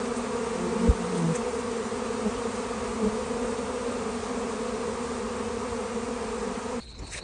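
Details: Honey bee swarm being caught in California, a queen with a large group of workers; a dense, steady droning hum of many bees holds throughout, with a few brief knocks near the start and a sudden drop just before the end.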